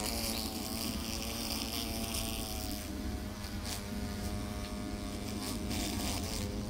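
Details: Hornet caught with tweezers, giving a loud, steady, droning wing buzz with a rich, slightly wavering tone throughout, over a constant broadband hiss.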